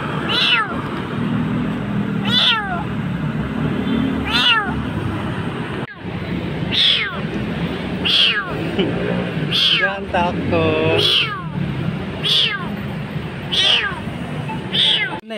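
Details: Frightened kitten found nearly dying in a dark place in Jakarta, giving high, sliding meows about every one to two seconds while a person repeatedly coaxes it with calls and imitation mews; low background rumble and brief music.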